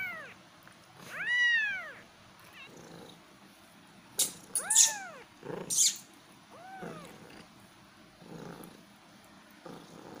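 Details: Cat kittens meowing: a few loud arched mews in the first seconds, then sharp clicking and rustling knocks, a later softer meow, and quieter muffled sounds toward the end.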